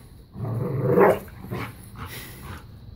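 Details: Two dogs at play, a new puppy and Bella, a five-year-old black lab pitbull, playing keep away and tug of war; a low rumbling growl swells for about a second, followed by softer scuffling noises.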